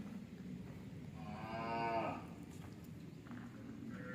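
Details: Hallikar heifer at a farm near Bangalore, Karnataka, giving one short rising moo with a harmonic, nasal tone, over steady low background noise.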